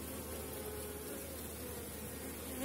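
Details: Busy honey bees cover a frame holding bee bread, honey and eggs during a late-season hive inspection of a strong apiary colony. Continuous thick buzzing drone, steady in loudness, with a faint rising tone at the end.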